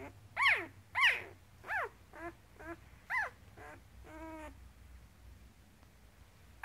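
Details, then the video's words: Week-old Goldendoodle pup from a litter of eight males and four females, Goldendoodle mother and Poodle sire, making a string of short high squeals and whimpers, some falling in pitch, one drawn-out whine, then a final sharp squeak; room otherwise quiet. "Our Goldendoodle Pup (Red Collar) - 1 Week Old"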